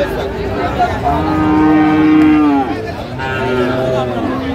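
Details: Heifer calves of Friesian and cross breeds at Raniganj haat, Dinajpur, 29 January 2025: one sustained moo that falls away at its end, then a second softer lowing call, against busy market chatter.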